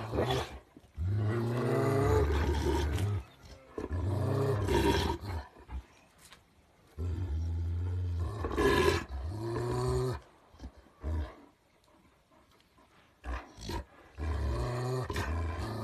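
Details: Kangal shepherd dogs growling as they try to dominate each other; deep, harsh, roaring growls in long bursts of one to two seconds, with rough rasping tones and brief quieter gaps, intensifying and then fading toward the end.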